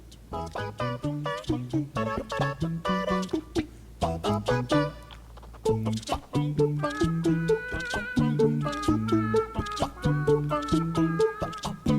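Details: Cheerful plucked instrumental music with bouncy, steady notes and a rhythmic bass line throughout, with no animal voices.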